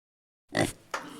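A pig gives a short, rough grunting oink followed by a second fainter grunt.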